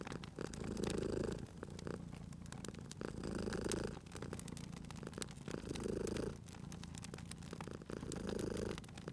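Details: Cat purring by a crackling fireplace, cozy spring ambience: a deep, steady rumble rises into louder swells about every two seconds, separated by softer breaths, while the fire snaps and pops continuously.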